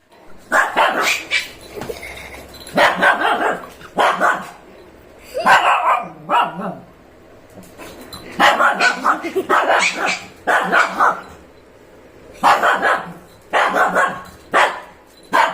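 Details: A female Shih Tzu barks in sharp, high-pitched bursts, several yaps clustered together with short pauses between.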